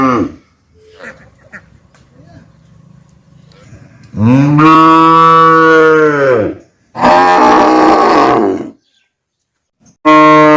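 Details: Young calf gives loud, drawn-out moos, each a rich harmonic bawl with pauses between.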